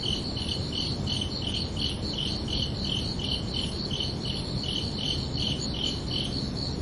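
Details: Evening chorus of crickets at night: a continuous series of thin, high chirps at an even rhythm around three per second, accompanied by persistent low-frequency background noise.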